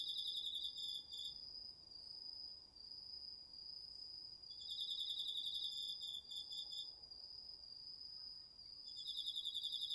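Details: Crickets and other autumn insects chorusing at night in a garden vegetable patch, recorded on a DR-40X: a steady high ringing tone runs throughout while a pulsed, buzzy trill starts and stops in bursts of a few seconds, with brief pauses.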